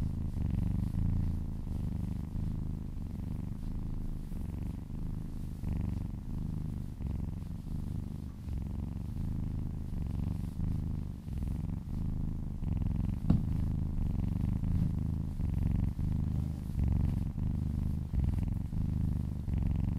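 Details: Contented cat purring as it is massaged indoors, long stretch of steady low rumbling purr pulsing with its breathing, one brief sharp tap midway, no other animals.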